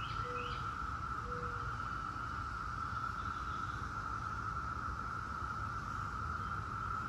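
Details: Periodical cicadas of Brood X, the 17-year cicada, hold a steady, unbroken droning chorus at one pitch throughout, with two brief low whistles from a bird early on and a low rumble of background noise.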